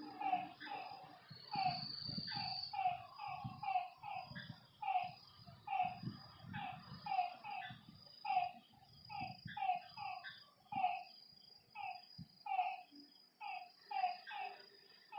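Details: Lakeside frogs at night call in a busy chorus of brief, ringing notes repeated rapidly. There is a steady shrill insect hum, and soft low thumps and rustles are heard in the first half.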